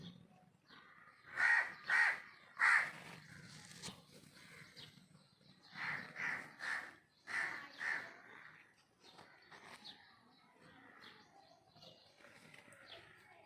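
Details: Cute baby kitten mewing in short, strained, harmonic cries: three loud mews in quick succession near the start, then two more runs of three after a pause, fading to softer, scattered mews with faint background rustle.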